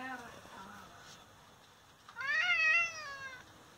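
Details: An injured domestic father cat, struck by someone unknown, lets out one long, rising-then-falling meow lasting just over a second. Soft speech-like murmurs come before it in a quiet room.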